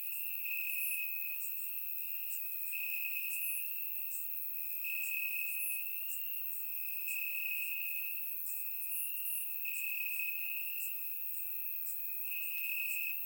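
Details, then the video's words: Warm summer night in Bulgaria with crickets chirping in the grass, captured by a surround microphone; a sustained bright trill pulses steadily while quick, thin, very high chirps burst in irregularly above it. "Cricket Sounds - Crickets Chirping at Night"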